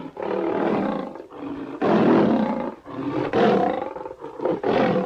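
A lion roars in a string of deep, throaty bursts, each lasting about a second before a short pause. The roars come in an uneven rhythm, with the middle ones the loudest.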